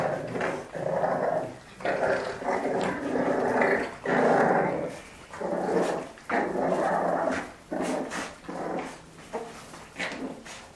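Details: French Bulldogs play fighting, giving rough growls in bursts of about a second, with short gaps between them and some grunting noises mixed in.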